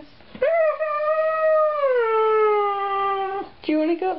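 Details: Husky vocalizing indoors in a conversation with its owner about going upstairs: one sustained howl-like note held about three seconds, dropping slightly in pitch midway, then a short yelp-like burst at the end.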